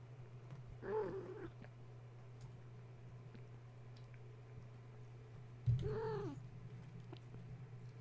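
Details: Two separate drawn-out kitten meows, arched and harmonic, about five seconds apart, from Gaia's litter, which was roused at bedtime by a plugged-in space heater; a constant low hum and a bump sound between them.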